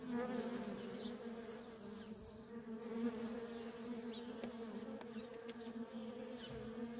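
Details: Worker honey bees in steady traffic at a feral colony, producing a continuous droning hum with a low fundamental and a brighter overtone, loudness swelling and easing slightly, with faint thin high flickers as individual bees pass close.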